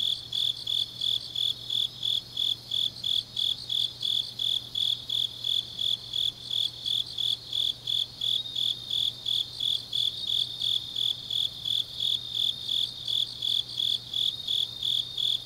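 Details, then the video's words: Grass insects of Changnyeong, South Gyeongsang Province, singing deep into an autumn night; rapid high chirps recur steadily around three times per second, a dense layered chorus over a faint low hum. "깊은밤 가을 풀벌레 소리"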